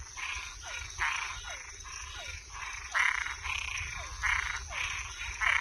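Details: Night chorus of toads and tree frogs: rough, grating croaks pulse in quick succession, mixed with brief falling chirps. A steady high-pitched hum persists underneath throughout.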